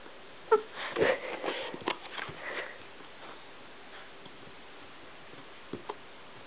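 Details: An 8-week-old golden retriever puppy hiccups while trying to chew the camera, giving small, abrupt, breathy thumping jerks at uneven intervals.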